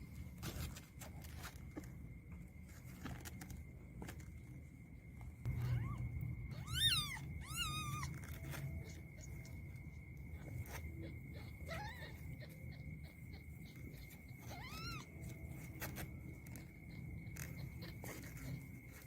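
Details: Kittens fighting, with two loud, drawn-out wavering mews close together midway, later followed by a couple of shorter rising-falling cries, amid light scuffling, a low rumble and a thin steady electrical tone.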